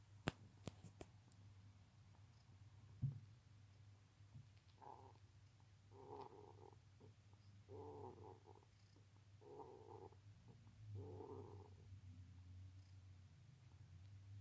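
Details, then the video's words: A hedgehog snoring. Five rhythmic, raspy breaths come roughly every one and a half seconds over a steady low hum, after a few faint clicks at the start. "Ежик храпит"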